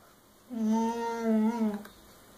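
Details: Scooby, a female puppy, moans during her tantrum over a chew that Rocky, another dog, refuses to give up indoors. One long, level, tonal groaning whine lasts over a second before breaking off.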